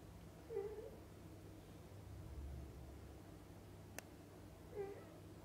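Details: Mother cat with kittens while feeding and bathing them; two soft short meows a few seconds apart, a single sharp click between them, steady low background hum.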